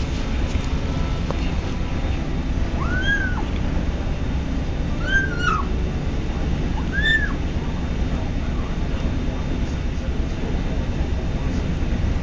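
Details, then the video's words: Kitten on its first day in a new home making unusual noises while eating: three short arched whining calls around three, five and seven seconds over a steady low background hum. "makes weird noises"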